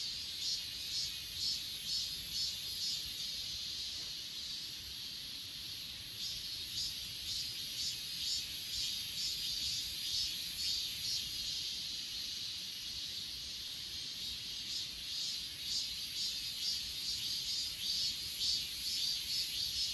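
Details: Chorus of grass insects on Achasan mountain, captured on an S20 Ultra: continuous high, hissing trill overlaid by rhythmic chirp pulses roughly twice a second, steady throughout.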